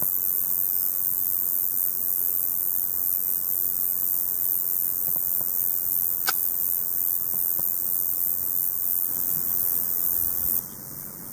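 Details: A male Roesel's bush cricket sings a continuous, high-pitched, penetrating sizzling buzz like the hiss of overhead electricity wires, barely varying. Males sing July–September in hot, sunny daytime weather to attract females.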